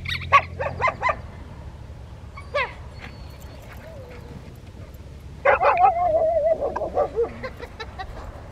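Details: Rottweilers Freya, Poncho and Peaches training with distraction at Victoria Rottweiler Club, May 2, 2021: a quick run of barks, a lone yelp, then a burst of barking mixed with a wavering whining tone.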